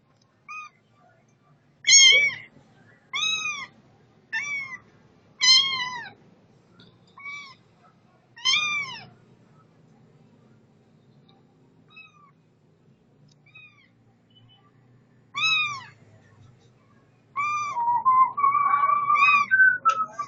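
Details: Setty the cat gives a run of about ten loud, clear meows, each a short arched cry with bright overtones, spaced one to two seconds apart with quiet gaps, ending in a longer wavering, drawn-out meow.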